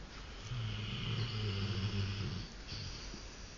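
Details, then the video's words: A 3-year-old male Rottweiler snoring while asleep on a couch during an afternoon nap, indoors; deep, low rumbling snore swelling for about two seconds, then a short pause and a softer breath. "The Sleeping Rottweiler. He's snoring..."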